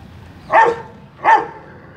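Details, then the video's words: Two sharp, full barks about three quarters of a second apart from a Rottweiler speaking on command in attack training in Mumbai, with little else heard. "Rottweiler dog attacking speak training"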